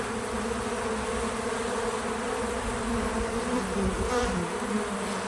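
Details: Bees visiting a feeder outdoors on a small farm, a steady dense buzz with low hum bands that waver slightly as insects come and go, continuous for five seconds, no music or talking.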